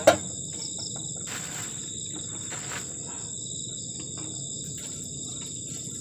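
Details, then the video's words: Crickets at a garden shelter on the forest edge on a cold night: a piercing continuous high trill with fainter lower trills. A loud knock opens the clip, then soft rustles and a low hiss. "ENJOYING THE SOUND OF CRICKETS ON A COLD NIGHT"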